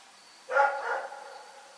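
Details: At night in Pyrga a dog gives a single bark that breaks into a quick second syllable, then the night falls quiet again apart from a faint hum.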